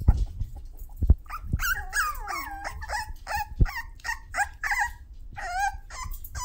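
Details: Sassy six-week-old Toy Poodle pups let out a busy run of squeaky yips and wavering whines, some bending up then down. Occasional low thumps come from movement.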